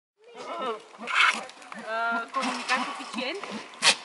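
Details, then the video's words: Goats bleating in wavering, quavering, voice-like calls, one drawn-out bleat near the start and another longer one midway, with shorter nasal bleats between and human chatter mixed in. "TALKING GOATS!!!"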